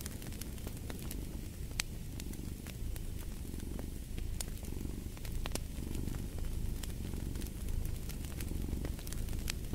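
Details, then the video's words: Cat purring beside a fireplace: a steady low rumbling purr swelling and easing in soft cycles, overlaid with frequent sharp crackles and pops from the burning fire. "Purring of a Cat"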